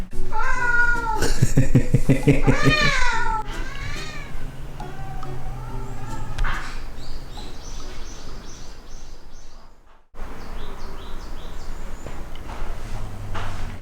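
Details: Ragdoll cat kept indoors in a home with eleven Ragdolls, giving a run of drawn-out, wavering meows over a steady low hum and soft background music, with Korean speech nearby.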